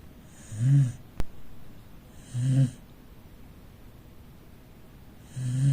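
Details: A pet Corgi, a rescue dog, sleeps in the living room and snores: short low rumbling snores with airy hiss, three within six seconds, plus one sharp click between the first two.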